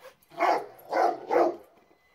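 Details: A Rottweiler gives three deep, rough barks in quick succession at a remote-control car.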